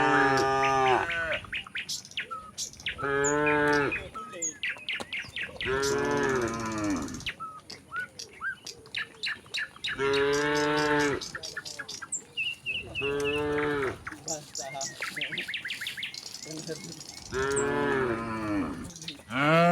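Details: Tame village cattle running down a hill toward their pen, lowing over and over in long harmonic moos, some overlapping, with short gaps between calls and small bird chirps in the background.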